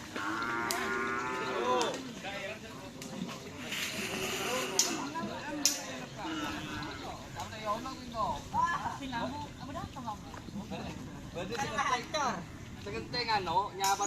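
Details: Cattle at a karapan sapi bull race training session at the Asemanis field in Pamekasan, with the Singo Barong (Can Macanan) team; a drawn-out harmonic moo opens, followed by shorter bellows amid people talking, shouting and clattering.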